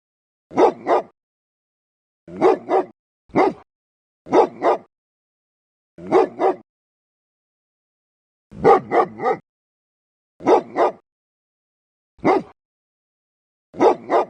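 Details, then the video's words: Dog giving loud, deep, fierce barks: ten bursts of mostly doubled barks with a few single ones, spaced irregularly about every one to two seconds, in clean silence. "Tiếng chó sủa to, kinh hoàng, trầm, hay và ấm - Tiếng chó kêu"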